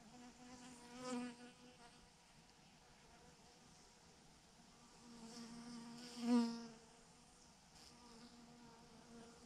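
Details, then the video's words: Honey bee swarm, thousands of bees hanging in a massive clump on a branch; steady low droning hum with many overlapping harmonics, swelling briefly near the start and again around six seconds. "thousands of BEES hanging on a branch in a massive clump"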